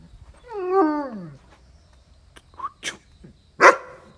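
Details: Dogs, a Great Dane and a Mudhol Hound from India, at raw-chicken feeding time. One long, high whine bends downward and fades. Short knocks and rustling sounds follow.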